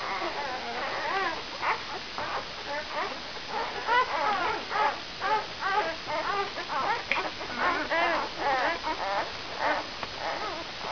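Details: Brown Labrador Retriever puppies, five days old, from the E litter vom Tannbachtal with mother Benja, whimpering and squeaking in a steady stream of short wavering high cries, about two a second, overlapping from several pups, with faint voices behind.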